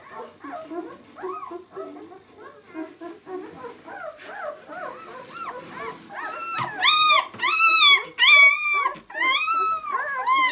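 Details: White German Shepherd puppies aged six days, B litter "of White Night", start with soft scattered whimpers that build into loud, high arched squeals, each rising then falling, repeated roughly once a second toward the end.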